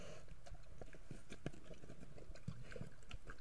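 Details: Two grizzly bears in Yellowstone National Park meet over a kill, trading deep, rumbling growls broken by short, irregular low grunts and thumps, every fraction of a second.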